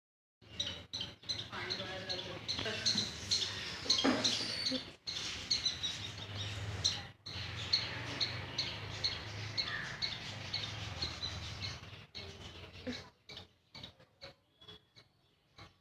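A squirrel gives loud, harsh chattering calls, ending in a string of short sharp chips.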